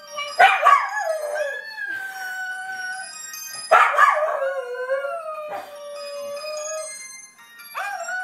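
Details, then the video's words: Welsh Terrier, a pet dog, howling as it sings along with its owner indoors: long, wavering, tonal howls that slide down and hold, in two main phrases, then a short rising howl at the end. "More Welshie Kareoke"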